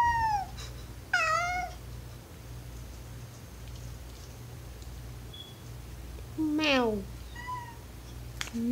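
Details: Alastor the domestic cat calls with oww sounds, wanting to be downstairs; several short falling meows spaced across the stretch, including a sharp downward-sliding one near the end, with low background hum and a person's voice.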